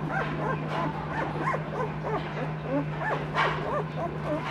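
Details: Two-week-old Noble Asian Bear puppies, an F1 hybrid of Asian Bear Dog and Caucasian Ovcharka, whine nonstop: a rapid stream of short, arched, whistly whimpers and yips from several pups, over a steady low electrical hum.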